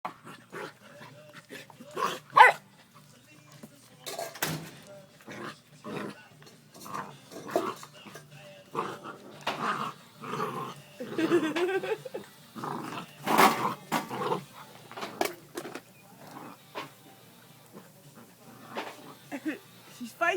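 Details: Two Labrador Retriever puppy sisters play-fighting indoors: bursts of short yips, growls and scuffling noises scattered through, with a woman's voice speaking now and then.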